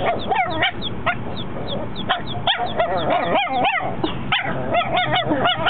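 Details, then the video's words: Four-month-old dog Mocha finally barks: a quick series of sharp, high yips and small barks, several per second at times, against constant background hiss and a faint repeating chirp. "Mocha first time barking"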